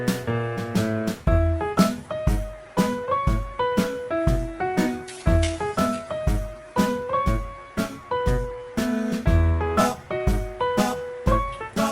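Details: Gentle plucked guitar and piano notes play a bouncy, regular tune throughout, with no animal sound.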